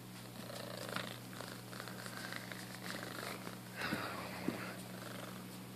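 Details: Domestic cat, one of a pair named Felix and Luna, purring: a steady, low, rumbling purr runs through the whole stretch, swelling slightly and ending in a short rougher burst.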